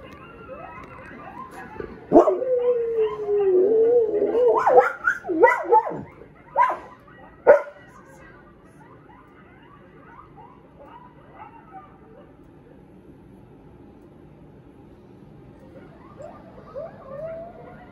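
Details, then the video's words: An 11-month-old wolfdog puppy and a husky indoors, reacting to coyotes howling on TV: a long sliding howl with yips and sharp barks, then fainter wavering howls from the TV. "Wolf Dog Puppy & Husky React To Coyotes Howling on TV"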